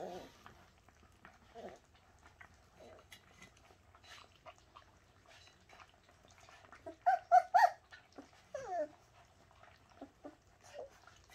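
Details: Bernese Mountain Dog puppies from Shasta, indoors, giving scattered soft whimpers and squeaks, then a louder burst of high yelps near the middle and a few falling whines toward the end, with low background rumble.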